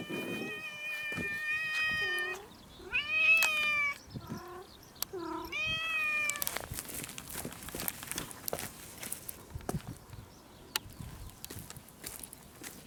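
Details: Hungry house cat meowing because it wants food soon; several loud harmonic meows in quick succession, rising then falling, over the first six seconds, followed by quieter household clicks and rustling.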